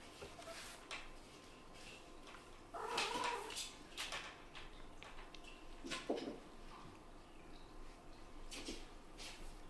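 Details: Kitten brothers, a first litter of a Scottish Fold mother and British Shorthair father, play-fighting indoors while making strange noises; brief tonal mewing cries near the third and sixth seconds over soft thumps, patter and rustling of wrestling.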